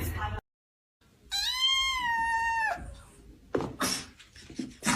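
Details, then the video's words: 1.0 "Funny Kitten screams for no reason"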